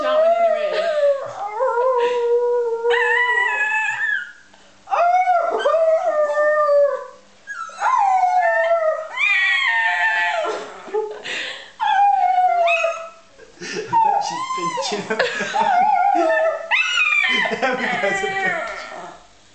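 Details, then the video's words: A pet dog named Daisy, thought by her owner to sing, gives long wavering howls in phrases of about two to three seconds, each sliding up and down in pitch, with brief pauses between them and a voice heard faintly. "Daisy The Singing Dog"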